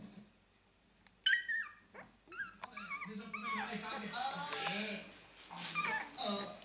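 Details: 14-day-old Staffordshire Bull Terrier puppies give high, thin squeals and whimpers, with a person talking softly nearby.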